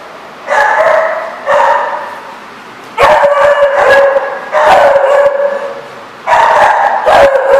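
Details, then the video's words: Dog barking in a place called The Barking Lot, recorded 4/10/14: loud, harmonic barks arrive in short bursts, two single barks and then longer doubled volleys, separated by brief quiet gaps. "The Barking Lot"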